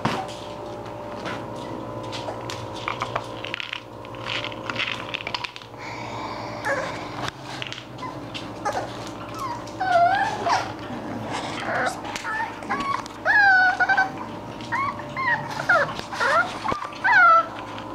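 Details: Indoors, English Bulldog puppies play; quiet at first, then a series of high, wavering whimpers and short squeals builds up in the second half, coming in clusters.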